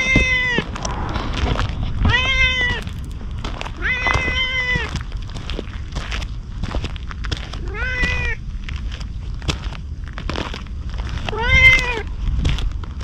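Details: Stray ginger tabby cat approaching a man outdoors as if asking for protection, filmed on a GoPro. Five clear, drawn-out meows fall in pitch at the end and come every two to four seconds, over a low rumble of outdoor background noise.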